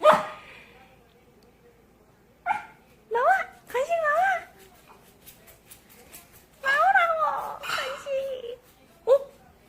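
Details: Indoor poodle puppy whimpering and whining while asking for a treat: wavering, rising and falling whines in several bursts, overlapping with a person talking and brief moments of music.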